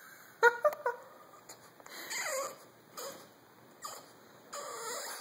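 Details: Remy, a French Bulldog indoors, begs for pizza he cannot reach: sharp high whimpers burst out near the start, then drawn-out wavering whines rise and fall, returning every second or two with quiet gaps between.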